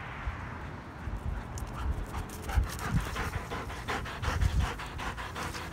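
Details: Belgian Malinois panting: rapid, breathy bursts of noise repeating several times a second, growing steadier and quicker toward the end, with low thumping handling sounds underneath.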